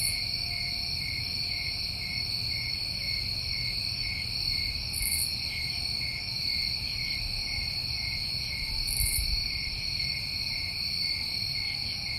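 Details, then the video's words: Continuous chorus of New England crickets on a summer night: dense, level high-pitched trilling in stacked bands that never pauses, two short airy bursts around five and nine seconds, soft low background rumble beneath. "Over 1 Hour Of Tinnitus Masking With Crickets"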